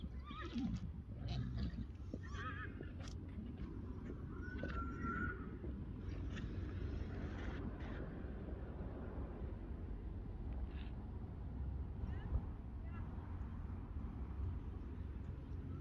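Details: Friesian horses loose in a meadow, a young male wanting to play like a colt while fillies object; short shrill whinnies and squeals early on, then a quavering neigh, over hoof thuds and steady outdoor rumble.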